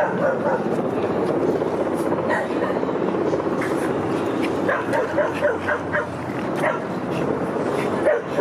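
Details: Boston Terrier Rudy at a dog park during autumn, September 2015: a scattered run of short barks and yips, busiest in the second half, over loud, constant outdoor rumble and people talking.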